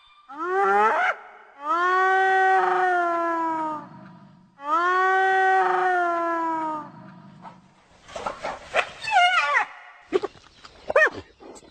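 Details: Hyena calling, the calls said to carry far and keep the group in touch: two long, steady, harmonic moaning notes of about two seconds each, then broken, wavering squeals and short rasping bursts near the end.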